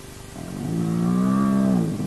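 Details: Hyena of the Naledi clan at an active den, filmed by a camera placed there: one long, low, steady moaning tone that swells gently and holds for over a second before fading, with a faint steady hum underneath.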